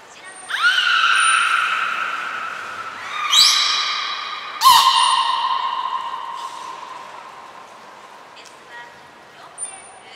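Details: Belugas Nana, Mirai and Niko in training at Port of Nagoya Public Aquarium on 11 January 2021 give a bending harmonic call, then a short burst and a long level tone that fades, with faint high whistles near the end.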